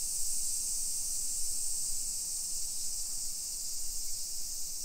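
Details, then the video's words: Summer cicadas in a hillside residential neighbourhood of Nisshin, near Nagoya, Aichi Prefecture, Japan, at 1 PM on 28 July 2021: a steady, high-pitched droning chorus with no breaks and faint low rumble beneath. "Summer Cicadas Sounds"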